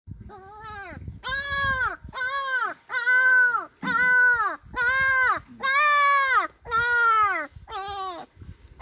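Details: A German Shepherd puppy at a kennel cries in a series of high, arching whines, about one each second.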